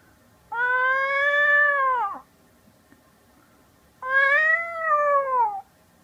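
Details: Domestic cat answering a person who imitates cat sounds: two long, level meows, each about one and a half seconds, slightly falling at the end. Faint low background hum.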